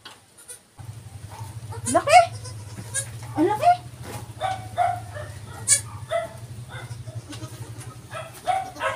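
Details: Goat bleating while a doe gives birth to kids on a farm: several wavering, harmonic bleats, some rising then falling, spaced irregularly over a steady low hum, with people talking nearby.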